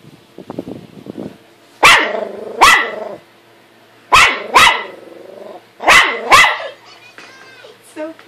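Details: A dog barks in quick doubled bursts, each sharp woof followed by a second, while barking at himself in a mirror.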